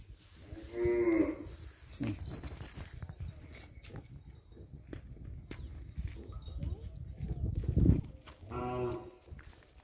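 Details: Punganuru cattle, pocket-size miniature cows kept at a goshala: a loud harmonic moo near the start, a murmur of low rumbling and handling noise, then a second moo at the end.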